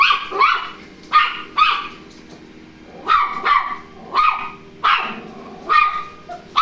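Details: Toy Terrier barking indoors on first meeting a robot vacuum cleaner: sharp, high yapping barks in pairs and singles, roughly one burst each second, with short quiet gaps between.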